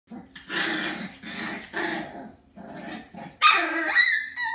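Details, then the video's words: Five-week-old Jack-A-Bee puppies, Beagle and Jack Russell cross, playing indoors with cousin Ivory: a string of rough growls and short yappy barks, closing with a high, sharp squeal. "Star’s Jack A Bees (Beagle Jack Russell) Puppies Are 5 Weeks Old"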